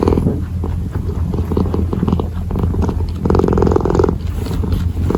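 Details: Kitten purring while kneading, a steady low rumble throughout with rhythmic pulses and soft rustling bursts from the kneading motion.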